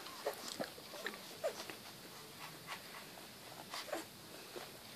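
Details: Young Rottweiler pups, large-sized, whining indoors: several short squeaky whimpers scattered unevenly, some clustered early and one near the end, over a background of scrabbling paws, light taps and rustling.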